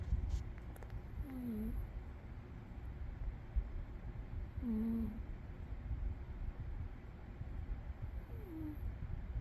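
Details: Umi, a sleeping cat, snores with a low continuous rumble and a thin whistling wheeze on each breath, three breaths roughly three and a half seconds apart, the last one a falling whistle.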